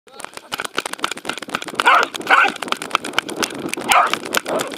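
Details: Welsh Corgi Roku chasing a fluffy Sheltie at a dog run on 11 February 2019, filmed with an Insta360 camera: a few sharp barks around the middle and end, over outdoor rustle and faint human voices.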